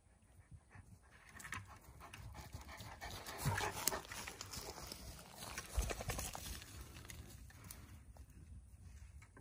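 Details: Two Central Asian Shepherd Dogs playing with an empty bucket in the woods in Oregon on a hot day; rapid, breathy panting in quick irregular bursts, with knocks and rustling from the play.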